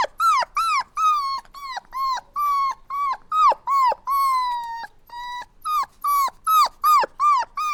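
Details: Puppies crying and whining: quick run of clear, arched, nasal whimpers, each rising then dropping at the end, about two or three per second, with one longer drawn-out whine midway; no other sounds.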